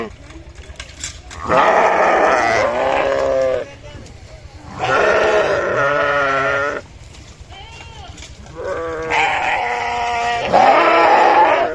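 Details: Sheep bleating in three loud bursts of one to two seconds, each with a wavering quavering tone, and softer calls and faint voice-like sounds in the gaps.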